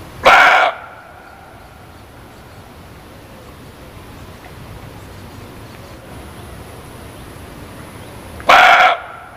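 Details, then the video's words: Muntjac giving two short, harsh barks about eight seconds apart. Each bark is hoarse and rasping, and a steady low hiss fills the quiet gap between them. "SUARA KIJANG"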